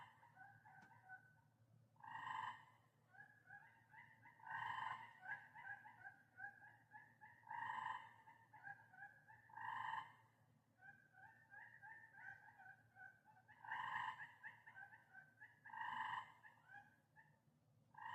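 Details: Tree frogs calling at night in Maine give short, buzzy trilled bursts about half a second long every couple of seconds over a fainter steady frog chorus; the recordist is unsure all the sounds are frogs.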